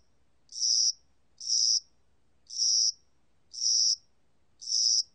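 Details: Cricket of the spring and summer season calling in high, buzzy pulses, five chirps at a near-steady one-per-second rhythm, each ending in a short trailing fade, over silence.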